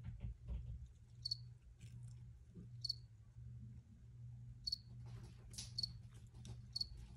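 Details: Crickets in an original field recording, brief high chirps at irregular intervals of one to two seconds, with a constant low hum and scattered soft clicks underneath.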